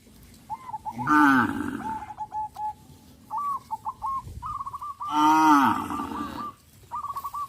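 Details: Cows being herded on a traditional village farm: two long, loud, harmonic moos, each about a second, separated by pauses, with repeated short chirping bird calls in the background throughout.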